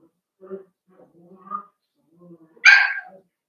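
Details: Playing Cavalier King Charles Spaniel puppies in a home puppy pen: soft low grumbles and whines build toward one loud, bright yap near the end.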